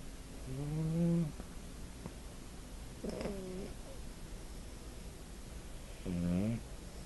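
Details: Puppy snoring in its sleep, phone recording; three drawn-out, nasal, slightly rising tonal snores spaced about two to three seconds apart against a quiet room hiss.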